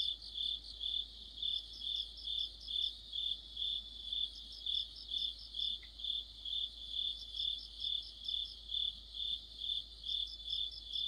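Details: Streetlamp-side cricket chorus in mid-autumn: shrill continuous chirping pulsing in even waves near two per second, several insects overlapping, one short tick heard midway.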